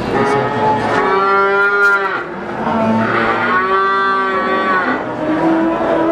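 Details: Brahman breeding cows at Sumberlawang cattle market in Sragen, 2018: two long, richly harmonic moos, each about a second or more, with further lowing from other cattle and market noise throughout.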